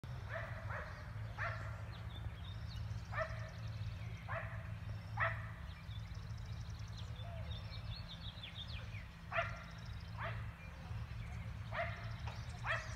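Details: Neighbours' dogs about 400 feet away in Emmett, Gem County, Idaho, barking relentlessly on a spring day, 19 March 2020; distant sharp barks come singly and in quick pairs throughout, over a steady low rumble.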